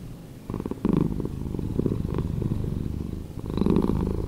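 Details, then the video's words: Cat purr slowed down: a soft, low rattling hum that grows fuller in bursts, breaths in and out audible as swelling phases. "Cat Purring"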